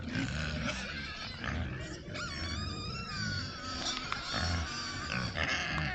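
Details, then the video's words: Oxford Sandy and Black pigs, a rare breed, roaming woods before a trail camera. Harmonic squeals, some rising and falling, are layered over steady low grunts and rustling. "Rare Breed Pigs on Trail Cam"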